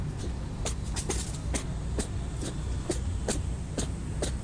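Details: Rabbit on Okunoshima, the Rabbit Island in the Seto Inland Sea, Takehara City, Hiroshima Prefecture, Japan, unable to stop sneezing. Sharp, short snorting bursts repeat about twice a second over a low rumbling background.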